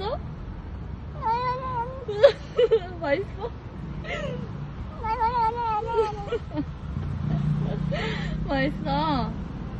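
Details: Korean street cat chattering with a run of varied, wavering meows of changing pitch, some short and some drawn out, over low background hum and occasional voices.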